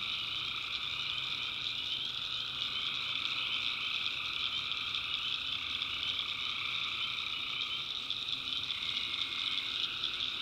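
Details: Tree frogs in a North Carolina backwoods swamp after dark: continuous high chorus of overlapping trills, one voice dipping in pitch near the end, steady loudness throughout.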